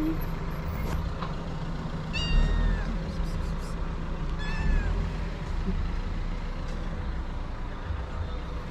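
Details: Hungry stray cats, a mother and her three kittens, at feeding time: two brief, high, downward-sliding mews about two seconds apart against constant low street noise.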